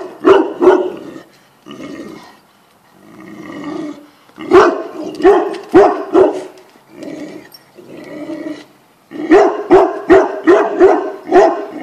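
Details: Tibetan Mastiff barking in rapid bursts of deep, harsh barks, several in quick succession, separated by quieter stretches of softer low rumbling and whining sounds before the loud barking resumes.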